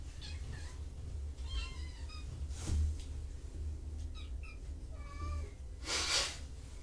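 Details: Kittens just out of a carrier exploring a familiar room after a noisy event, giving several soft, short high mews and squeaks spread through the moment, with a person talking quietly and handling noises nearby.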